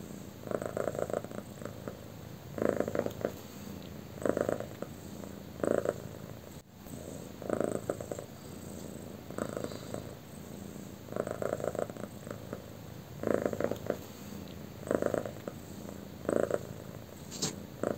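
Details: A pet cat that loves being petted on her tummy, making rhythmic purring with bursts of louder, buzzy pulses in groups roughly every one to two seconds, indoors, with faint background hum.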